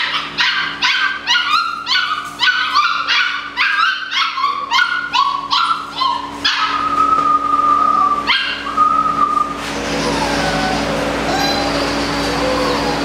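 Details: Malinois puppies at eight weeks old bark in a quick series of shrill yips for about six seconds, then shift to long, drawn-out whines, fading into a hissing background.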